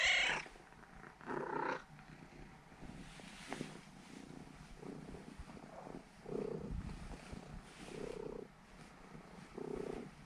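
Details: Purring from a seven-year-old female Norwegian Forest Cat kneading before she falls asleep; soft, low breathy pulses come in short phrases roughly every one and a half seconds, with quiet gaps between.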